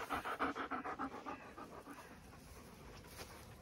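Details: Dog panting on a hot day at a regenerative farm in County Kilkenny, Ireland: quick, breathy, rhythmic pants about three per second for roughly a second and a half, then fading into quiet outdoor background noise.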